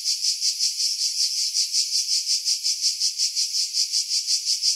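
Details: Cicadas singing in pine trees about 50 m above the sea at Pefkos Bay, Skiros Island, Greece, July 2018: a continuous shrill, high buzz pulsing steadily about three times per second, heavily filtered to remove wind, no other sounds.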